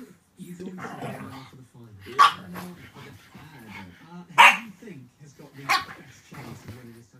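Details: Boston Terrier in a compilation of the breed acting crazy; a few sharp barks near two, four and a half and nearly six seconds stand out over steady human chatter and talking throughout.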